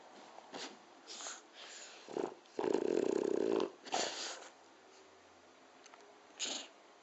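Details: A 7-year-old French Bulldog snores with irregular raspy, wheezy breaths and one long rattling snort.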